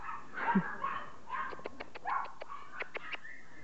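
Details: Yorkshire terrier and chow dogs together; a few soft short barks and whimpers are followed by a quick run of sharp clicking taps, while a person urges them on in Arabic.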